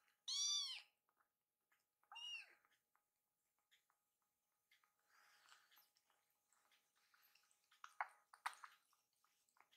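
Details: Two hungry rescued kittens, angry that their milk feeding is delayed while hot water cools. Two loud, clear, arching meows are followed by soft rustling and faint clicks indoors.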